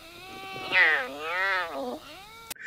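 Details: A clouded leopard, which can neither roar nor purr, gives a drawn-out, wavering, laugh-like mew that rises and falls in pitch.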